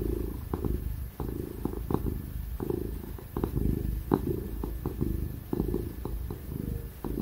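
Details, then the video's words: Ginger domestic cat purring loudly while being petted and cuddled indoors; continuous low rumbling purr with rhythmic pulses, broken by brief soft rustles and taps of the petting hand, a faint steady laptop fan hum underneath. "Ginger cat purring ASMR | Real & loud purring ginger cat sound"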